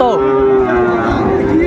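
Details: Sahiwal bull calf at Ambari cattle market, 17 January 2025, giving a long, steady low moo that holds one even pitch for over a second amid the murmur of market crowd and bargaining voices.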